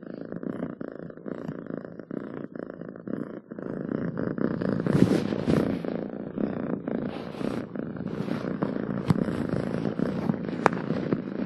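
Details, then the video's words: Pet cat giving a continuous low purr, soft at first then louder and rougher from the middle on, a few sharp clicks or rustles breaking in. "7 minutes of Cats Purring to make your day better!"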